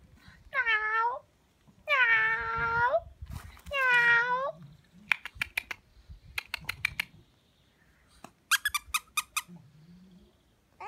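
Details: French Bulldog puppy giving three drawn-out, arched, tonal whining cries, each about a second long, followed by a series of sharp clicks and taps and a few short squeaky notes near the end.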